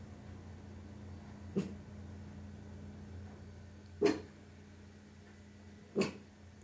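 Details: Tiny Maltese dog barking at home to defend the house against invisible threats, recorded on a phone: three short, sharp single barks spaced about two seconds apart, with a steady low indoor hum.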